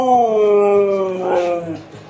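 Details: Siberian Husky in Kerala, India, at feeding time being hand-fed; a single loud drawn-out howl with rich harmonics, sliding gently downward for over a second, then breaking into a brief rougher yelp that fades.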